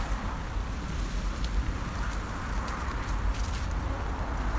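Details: Loud low wind-like roaring noise dominates, with faint crackles above it and no clear animal sound.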